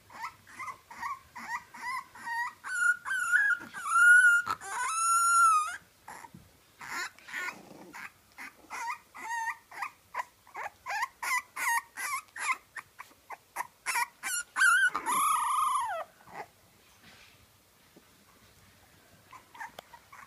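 French Bulldog puppies whine and squeal in rapid, uneven bursts, with a few longer wavering cries.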